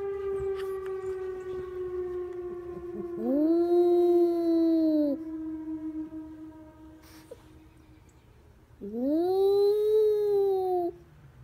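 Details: Jax, a one-year-old Havanese, howls at a tornado siren while protecting the family. Two drawn-out rising howls, each about two seconds long, sound over a steady droning siren tone that runs throughout.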